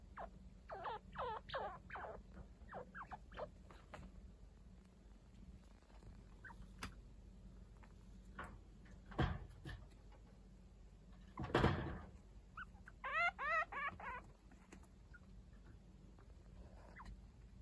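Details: Week-old pet chinchilla kits, grown playful, being groomed by Kaito, an adult not related to them. A rapid run of bright, wavering squeaks opens the passage; later come thuds, a loud rustle and another quivering squeak series.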